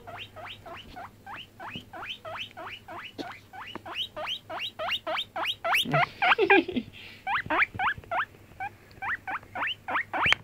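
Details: Five-month-old pet guinea pig on a bed squeaking away: rapid, steady series of short rising squeaks, about three or four per second, with a brief rustling burst midway and quiet background hum.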